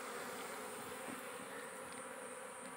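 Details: Giant honey bees (dorsata forest bees) at a small wild nest being harvested for honey: a dense, continuous buzzing drone of many bees, steady in loudness throughout, with a low humming undertone and no other clear sounds.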